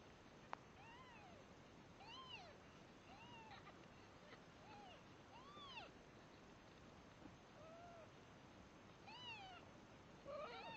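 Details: Newborn red Devon Rex kittens, three days old, compete for milk, calling in a run of thin arched mews roughly every second, rising and falling, with a brief sharp click early on and steady background hiss.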